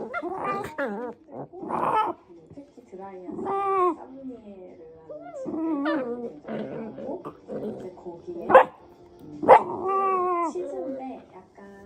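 A Shiba Inu makes odd, warbling whines and yowls that bend up and down in pitch.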